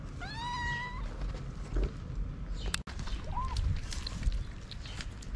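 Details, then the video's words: Hungry female tortoiseshell street cat among a group of ginger strays, meowing for food: one clear drawn-out meow, then a brief soft rising mew a few seconds later, with a sharp click and low rumbling outdoor noise. "A Tortoiseshell Cat Meowing To Tell Me She Wants Food"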